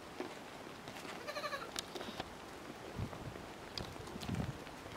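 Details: Miniature goats at a French farm, the buck Niño with his kids at play: a short harmonic bleat near the start, then a second brief bleat, with low thumps, rustling and handling noise around.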